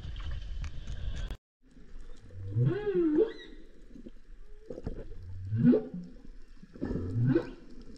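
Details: Humpback whales recorded in 2024 on an expedition to Banco de la Plata, a humpback sanctuary 120 km northeast of Puerto Plata, Dominican Republic. Low groaning upsweeps rise and bend into wavering moans, three separate calls after a brief silent gap.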